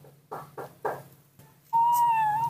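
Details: A newborn baby monkey cries, apparently wanting to be carried, giving a long, steady, whistle-like cry after a few short murmured sounds.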